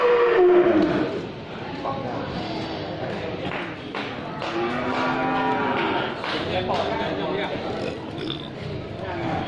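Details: Cattle of many types, from scrawny to jumbo, gathered in one place; a loud moo falling in pitch opens, then deep, drawn-out lowing swells midway, over a steady murmur of crowd chatter and voices.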